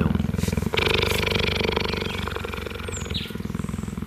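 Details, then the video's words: Kinji, a calm cheetah that rarely purrs, purring while meerkats groom and scratch his fur; a low, steady pulsing rumble with rapid regular beats, plus rustling and scratching noises and a brief high squeak near the end. "Kenji purring was a rare treat and I'm glad I captured it on film"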